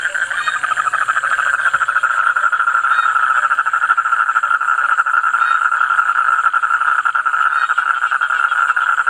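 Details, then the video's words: Toad voices form an unbroken pulsing trill chorus, even and sustained, a brief low hum near the start and a steady high hiss behind. "Toad voice"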